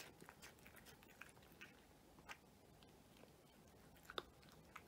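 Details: A cat eating a meal indoors: soft, crunchy chewing clicks at irregular intervals, with a sharper bite near the end over a quiet room background.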